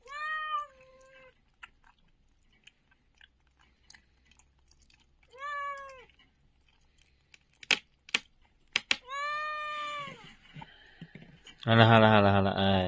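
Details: Tiny puppy, one of a litter left in a box at a door on a cold winter night, gives three separate rising-then-falling whimpering squeaks with long pauses, some sharp clicks between, and human talk at the end.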